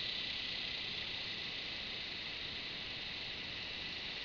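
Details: Cicada calling beside a red bull ant: a dense, steady high hiss-like drone held without break, fairly quiet throughout.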